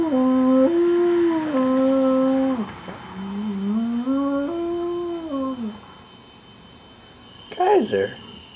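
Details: Howling from Kaiser, a pet dog who rarely barks: a series of stepped, wavering moaning tones rising and falling over several seconds, followed by silence and a brief sharp sliding sound near the end.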